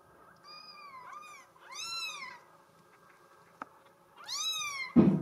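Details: Bengal kitten, a girl in solid mink, mewing three times: a long wavering call, then two louder rising-falling meows, with a sharp tap and a thump at the end.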